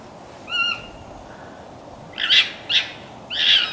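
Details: Morning vocalizing of a red fox in Conifer, Colorado: one clear, tonal, slightly falling whine, a pause, then three harsh, breathy barks, the last one longer and hoarse.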